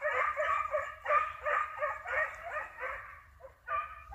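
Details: Hunting dogs chasing a hare, rapid ringing barks repeated almost three times a second in a steady chorus, then a brief lull before the baying resumes.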